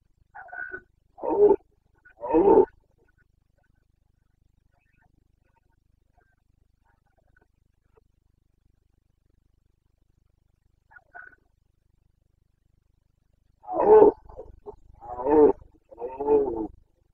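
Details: Carpathian red deer stag roaring during the breeding season rut in Bucovina, Romania, 29 September 2022: three short, harsh, harmonic bellows in quick succession, a long quiet gap, then a closely spaced series of four rough roars.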